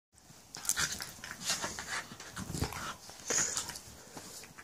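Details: A Jack Russell and a husky/staffy crossbreed playing together: bursts of breathy, hissing panting and scuffling, coming in uneven clusters throughout, with a few faint whimper-like squeaks.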